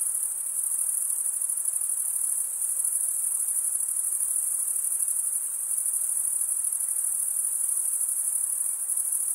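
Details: Chirping male crickets make an unbroken, very high-pitched ringing trill by scraping a wing across the serrated vein of the other wing. The texture is steady and slightly pulsing, with nothing else audible.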